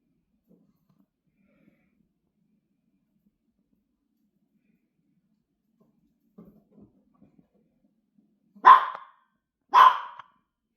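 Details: Dog frightened of a massager and too scared to eat its treats; after several quiet seconds of faint shuffling and breathing, two short, sharp barks burst out about a second apart near the end.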